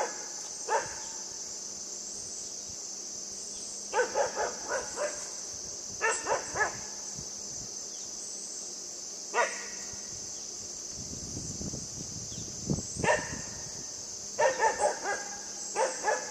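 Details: Yufie the puppy plays with a buck, giving short, sharp yappy barks in small clusters of two to four, separated by pauses. A steady high insect chorus, like crickets, hums throughout, and a brief low rumble comes near the middle.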